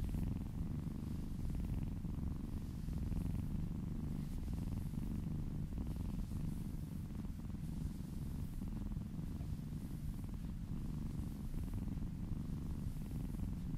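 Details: Happy domestic kittens purring steadily while being massaged, a deep continuous low rumble with rapid pulsing throughout and faint soft rustling above it.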